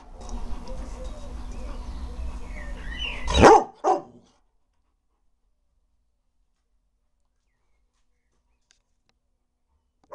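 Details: Bernese Mountain Dog while jumping: soft human voices and low rumble, then two short, forceful barks about half a second apart, followed by near silence.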